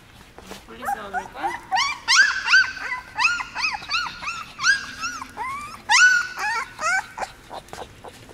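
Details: Seventeen-day-old puppies, newly brought into a dog café, let out a quick run of high, arching whines and squeals, about a dozen bursts that each rise and fall in pitch, some short and some drawn out, over a quiet background.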